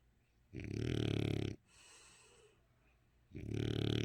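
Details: Dali, an eight-year-old French Bulldog, snoring while sleeping with eyes open: two loud, rough, rattling snores about three seconds apart, separated by a soft breathy exhale.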